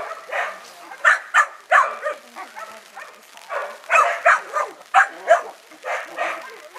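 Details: Five-month-old working-bred Kelpie pup on its first day ever seeing sheep, giving a run of sharp, broadband barks in uneven bursts about three per second, with a human voice faintly in the background.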